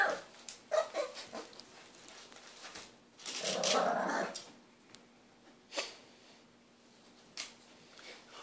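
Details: Cleo, a three-month-old French Bulldog puppy, grows impatient indoors, wanting a hand brush. A drawn-out, harmonic whining vocalisation rises midway, set among short scratchy scuffling and brushing noises.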